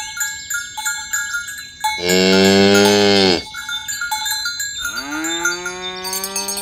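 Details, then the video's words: Tame cows roaming green grass fields, herded toward the pen along village roads in the morning, calling companions to gather: one long, rich harmonic moo mid-clip, then a second rising moo, over steady clanking cowbells. "Suara sapi lembu berkeliaran di ladang rumput hijau memanggil kawan untuk berkumpul - Bunyi sapi"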